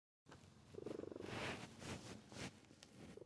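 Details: A domestic cat purrs in a low, steady rumble while napping on a futon indoors after dinner, a sign of contentment while resting.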